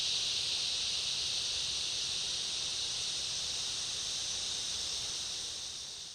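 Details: In summer rainforest ambience, a dense cicada chorus with other insects forms a steady, high, shimmering buzz that fills the air.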